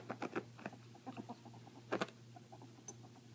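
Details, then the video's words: Pet female ferrets at play indoors, the hearing one dooking when happy and excited: quick bursts of soft clucking chuckles in uneven runs, with a brief faint squeak near the end over a low electrical hum. "Ferrets playing, dooking, screeching"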